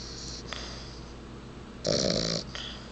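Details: Sleeping bulldog, described as little and totally out of it, gives one rough, breathy snore lasting about half a second near the end, after quieter wheezy breathing in a small room.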